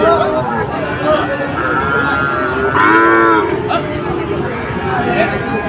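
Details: At a Dhaka livestock market in Bangladesh on 16 September 2024, Sahiwal bulls give a short, strong moo midway, with quieter lowing around it, amid continuous market noise and voices.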